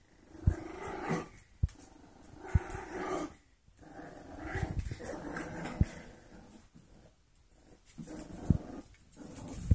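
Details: Four-week-old golden retriever mix foster puppies at play, giving low rumbling growls and short grumbles in bursts, mixed with soft thumps and scuffling of small bodies indoors.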